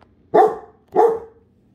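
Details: Two loud, sharp barks from a Great Dane, one of a pair named Rhapsody and The Heartbreaker shown being affectionate indoors; each bark is short with a brief tail, about half a second apart, in a quiet room.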